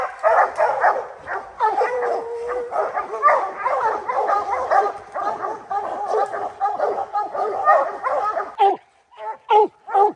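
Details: At a treed black bear, the three-month-old puppy Rocky, sired by Gray's Rack Em Willy out of Blackstone's Ram-Paige, gives a continuous jumble of chopped barks and yelps, then breaks into a few short isolated barks.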